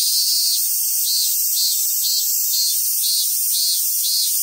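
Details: Cicadas at Awaji Island Monkey Center, Sumoto, Hyogo, Japan, in summer; a piercing high drone that throbs in regular pulses about twice a second, with no other clear sounds.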